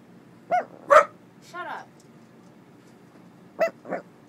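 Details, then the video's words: Dog "talking" with a pair of whiny barks, then a drawn-out, wavering moan, and after a pause two more short yelping notes. "Cutest dog talking ever"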